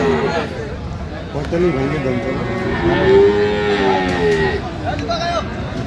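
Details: Friesian or crossbred bull calf at the Aftabganj cattle market on 30 December 2025: a drawn-out, tonal moo swells and fades midway, over steady bargaining voices and crowd chatter.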